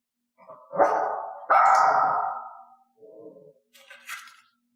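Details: A mixed-breed dog trained with a clicker to bark only when cued. Two loud, drawn-out barks about a second apart, followed by softer short sounds and a bright click-like tone at the end.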